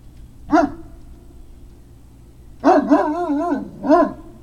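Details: Barking from Great Dane puppies, dated 3 May 2019: one sharp bark, a pause, then a longer wobbling bark-howl with several quick pulses, followed by a final short bark. Steady low background drone throughout.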